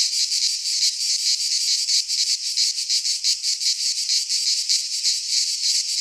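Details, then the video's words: Greek pine-forest cicadas in midsummer produce a loud, hissing high drone broken into fast throbbing beats, unbroken across the whole stretch. "Cicadas singing in midsummer"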